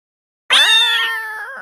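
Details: Persian cats greeting a newly arrived small kitten: a single drawn-out, harmonic meow lasting about one second, steady in pitch and slowly fading, after a brief silence; no other sounds.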